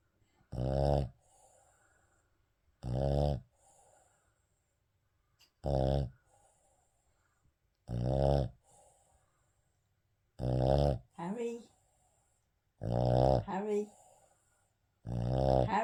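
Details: Harry the Shih Tzu asleep indoors and snoring: seven deep, throaty snores arriving every two to three seconds, and several of the later ones end in a short wavering snort or whine-like squeak.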